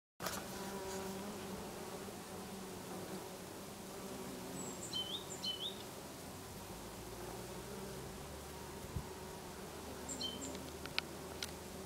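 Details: Many bees buzzing while feeding on lavender in a garden in Brittany in August: a steady, droning hum with layered tones from many wings, plus a few brief high bird chirps in the middle and near the end.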